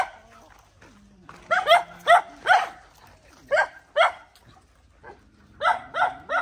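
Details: A dog defending her puppies gives bursts of sharp, high barks in quick runs, separated by quieter stretches with a faint low drone.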